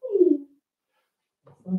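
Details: Four-week-old Cavalier King Charles Spaniel puppies from Daisy's litter in their indoor puppy pen: one short, loud whine sliding downward in pitch, then a pause and a brief low grunting sound at the end.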